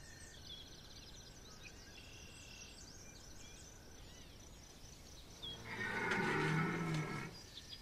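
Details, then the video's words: Red deer stag bellowing during the September 2021 rut at Chambord, France: after quiet background with faint bird calls, a single loud, deep, harmonic roar lasts about two seconds near the end. "brame du Cerf"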